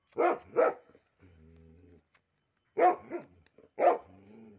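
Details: Pit bull, one of a pair of dogs, giving loud deep barks in doubled bursts, one pair at the start and two more near the end, with a low whine between them.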